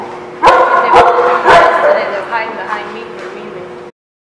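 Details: Dogs at a lot recorded on 28 July 2017, giving a few sharp, abrupt barks about half a second apart, then a ringing, drawn-out tonal sound fading out, with people talking in the background.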